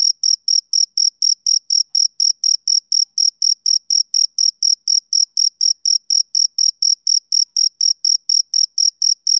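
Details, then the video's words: Male cricket chirping on a summer evening: clean, high-pitched pulses with a faint higher overtone, repeated steadily about four times a second in an even rhythm, with no other sounds. "Cricket Chirping Sound Effect For Background Noise"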